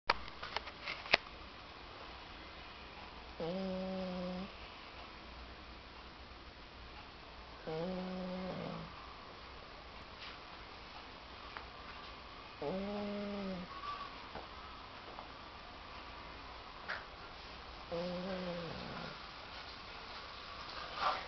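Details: Cocker Spaniel named Lady Laura, a very tired pet dog, snoring while asleep indoors in a small room: four harmonic, nasal snores, each about a second long, spaced roughly every four to five seconds over quiet room background.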